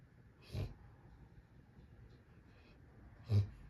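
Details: Male dog asleep, snoring and talking in his sleep: two short, breathy snorts about three seconds apart, the second louder, with low quiet breathing noise in between.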